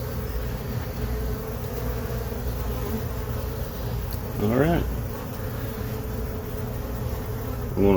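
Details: Hive inspection of honey bees that moved into a box on April 29, 2022: a constant low buzzing hum from the colony, with a brief wavering tonal sound partway through and near the end.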